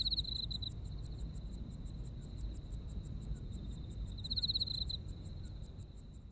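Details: Insects calling in autumn in Japan: continuous quick high-pitched pulsing, with a stronger rattling trill at the start and again after four seconds, set against faint low-frequency hum.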